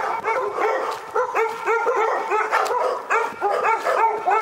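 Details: Barking continuously in Pyrga, a dog fires off short, sharp barks several times a second with hardly a pause, some edging into higher yips.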